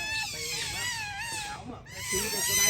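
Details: Playful otters in daylight utter a continuous wavering whine, bright and harmonic, that breaks off briefly and then resumes, with a few lower squeaky notes underneath.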